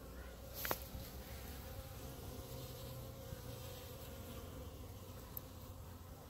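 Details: Clump of honey bees on grass before the hives, a dense low drone of many wings holding steady throughout, one sharp knock near the start.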